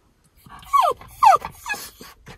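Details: Miniature Schnauzer Levi, home early from a cancelled vet appointment and separated from his brother Lucky, gives two loud, sliding whimpers that fall in pitch, then a softer third whine with faint breathing between.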